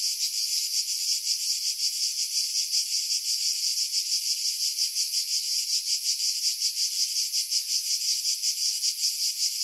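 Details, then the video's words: Cicadas singing in pine trees about 50 m above the sea at Pefkos Bay, Skiros Island, Greece, in July; a dense, high, buzzing drone with a fast pulsing throb, roughly three pulses a second, unbroken throughout; wind filtered out. "Cicada Sounds, July 2018 Skiros, Greece"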